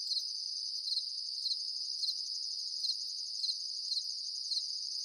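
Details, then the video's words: Crickets trill steadily at a high pitch at night, with brighter double chirps pulsing about every half second. "The sound of crickets at night time"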